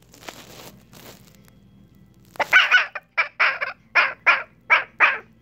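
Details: Red fox (Vulpes vulpes), call.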